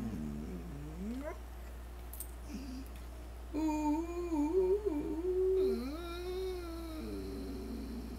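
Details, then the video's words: Singing to greet the day, Jake the standard poodle service dog gives quavering, yodel-like tones that bend up and down, with short pauses between phrases, over a steady low hum. "Jake the purple-eared poodle singing to greet the day"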